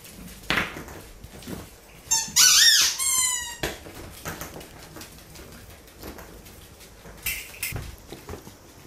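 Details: Corgi puppies mouthing a finger, August 2013: one loud, high-pitched whining squeak rises and falls over about a second and a half, followed later by a shorter faint squeak, with light chewing and handling sounds around it.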